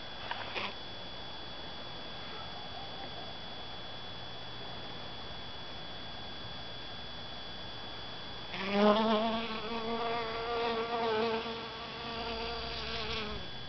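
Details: A quiet stretch gives way to a honey bee's loud, low buzz as it collects pollen in a calla (Zantedeschia) inflorescence; the hum wobbles in pitch and volume for about five seconds, then ends abruptly.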